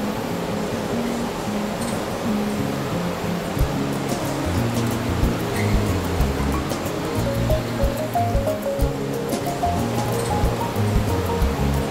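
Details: Continuous background music over a broad wash of surf-like noise, steady and even throughout with no distinct calls standing out.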